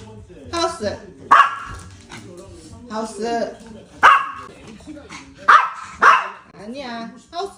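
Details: Short, punchy yaps from a brave puppy: four loud barks, two coming close together near the end. They are mixed with steady human talk giving training commands such as sit and go to the house.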